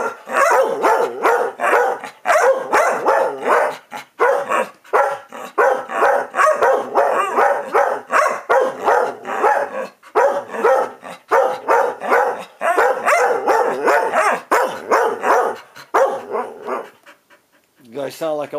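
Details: Chewy and Rosie, two household dogs, quarrel in a long run of quick, whining barks and yowls that overlap continuously, with only short gaps. A person's voice breaks in near the end as the dogs fall quiet.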